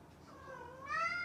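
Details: Domestic cat, called a mischievous cat, producing a single drawn-out meow that starts low and falling, then jumps to a brighter, louder rising tone at the end.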